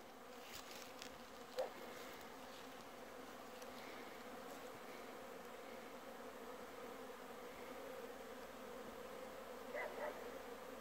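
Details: Raspberry bees humming at midday on 24 December 2017, 10°C, light breeze; continuous even drone of many wings with a couple of short clicks and knocks.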